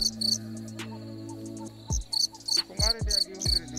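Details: Night chorus of crickets in a pitch-dark forest heard on a treasure hunt, giving clusters of rapid, shrill pulsed chirps in quick bursts, with low sustained music tones and a few sharp thumps beneath.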